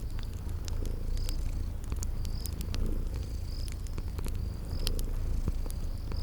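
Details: Low steady purring of sleeping kitties beside a crackling fireplace, spring garden ambience, with bright fire snaps and short high chirps recurring about once a second over the rumble.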